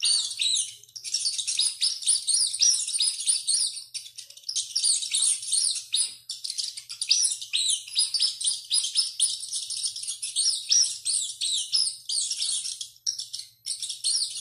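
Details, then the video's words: Screaming rat on the run: a long, frantic series of piercing squeals, jumbled and overlapping, with short pauses around four and thirteen seconds before the shrieking resumes. "SOM DE RATO CORRENDO E GRITANDO MUITO"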